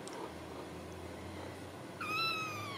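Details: High, thin meow from a Ragdoll kitten at a home cattery in central Kansas, rising then levelling off near the end, after quiet indoor background noise.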